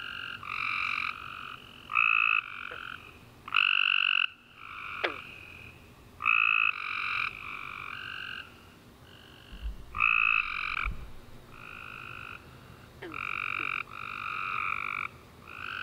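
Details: Tree frog chorus at night after a warm rainy summer day. Many overlapping raspy, buzzy trills come in bursts of about a second, several frogs answering one another almost continuously, with occasional faint chirps and low thumps.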